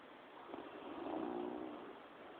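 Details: Quill, a dog sleeping contentedly, lets out one soft, breathy snore that swells and fades over about a second, carrying a faint low hum, above a steady quiet hiss.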